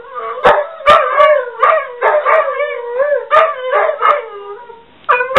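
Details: Two pet dogs at home croon together in response to a ringing office phone, each wanting the last bark. Overlapping, wavering, tonal howls rise and fall in long sustained notes, broken by a few sharp bark-like clicks.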